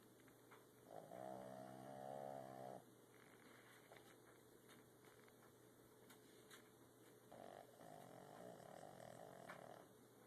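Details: Boston terrier asleep and snoring: two drawn-out, buzzy nasal snores about six seconds apart over a steady background hum.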